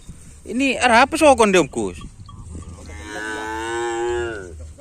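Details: Cattle at a karapan sapi bull race training session on the field at Asemanis, Pamekasan: after a burst of human voices, a long, steady harmonic moo holds for about one and a half seconds.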